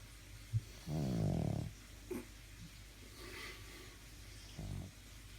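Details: A sleeping pet dog snoring indoors: one loud, low, rattling snore about a second long, then quieter breaths and a short second snore near the end.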